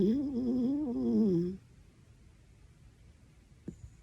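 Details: Horongi, a pet dachshund, lets out one snore loud enough to wake someone: a wavering, buzzy tone lasting about a second and a half, sliding gently down at the end, then near silence.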